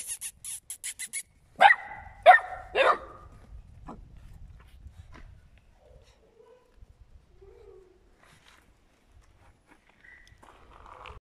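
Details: Eight-week-old puppies of Scarlett and Noeud Pap give three sharp barks about a second apart, then fall quiet apart from faint short whines and soft rustling.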